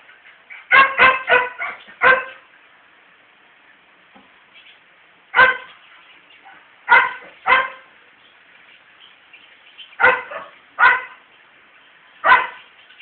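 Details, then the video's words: Male dog barking while trying to court a female dog: sharp barks in quick bursts of four, then single and paired barks spaced a few seconds apart over quiet background. "A male Dog Trying to convince the female dog to have s3x with him"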